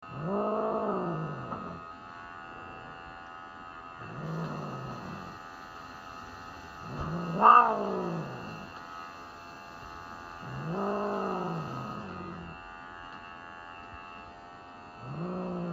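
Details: Elf, a Norwegian Forest Cat, at a veterinary hospital for a routine grooming cut during a checkup and plainly unhappy about it: five drawn-out, low, wavering yowls, each rising then falling, spaced a few seconds apart over a steady mechanical hum.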